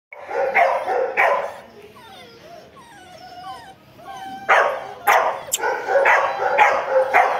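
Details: American Pit Bull Terrier in India: loud, rough barks open and close the passage, with a run of high, falling whines in the quieter middle stretch.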